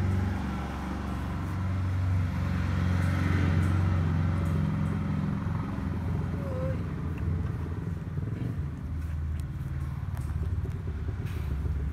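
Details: A steady low engine rumble from a passing vehicle, with faint voices and no animal calls.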